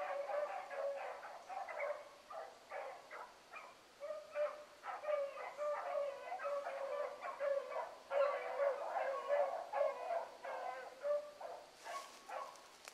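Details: Morning rabbit chase by hound pups Ringo, Mingo, Choco, Boone and Dino; a continuous pack chorus of overlapping, mid-pitched bays and yelps, with short quieter gaps between bursts.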